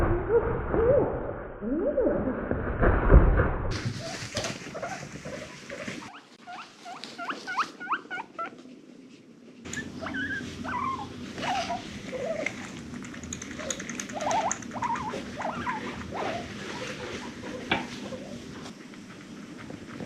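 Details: Pet female guinea pig amid loud bumping and rustling, with scattered short squeaky chirps breaking through between the handling noises.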